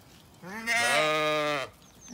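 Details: Zwartbles sheep from a flock in County Kilkenny, Ireland, following the farmer uphill at supper time after she fed the rams; one loud, long, steady harmonic bleat lasting about a second, rising in loudness midway, with quiet background.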